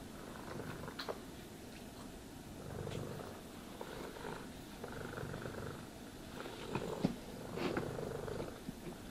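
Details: Cat purring as it is brushed and groomed, a steady low rumble in fast pulses, with scratchy brush strokes rising and falling across it and a few small clicks.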